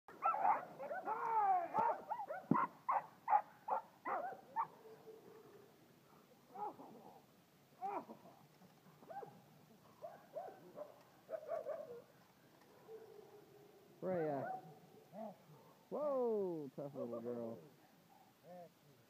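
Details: Young black female German Shepherd, home raised, in protection bite development training; a run of high, wavering whines and yelps with short barks, irregular bursts at first then longer strained cries, fairly quiet background.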